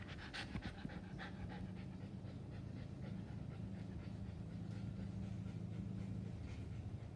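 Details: A Siberian Husky, playing with a British Shorthair cat on a farm, pants quickly and steadily, with a low droning hum underneath.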